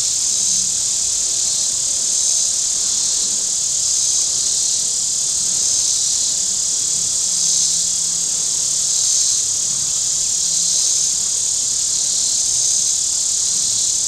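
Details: Shoreline cicadas at Table Rock Lake, southern Missouri, on a hot Saturday with boats out, giving a loud, nearly constant high-pitched drone with only gentle, slow surges in intensity.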